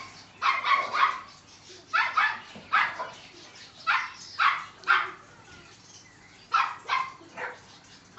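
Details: Seven-week-old male Neapolitan Mastiff puppy barking in quick bursts of high, yappy barks, often doubled or tripled, about nine calls over eight seconds with short pauses, over a faint background hiss.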